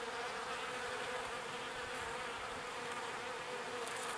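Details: Foraging bees collecting pollen and bringing it to the hive. An unbroken, rich buzzing drone from numerous bees, level and constant, with short higher-pitched whirs near the start and end.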